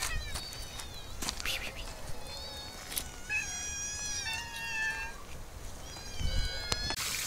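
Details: Several cats in an olive garden during summer trade repeated wavering meows, some long and quavering, mixed with sharp clicks and knocks in the foreground.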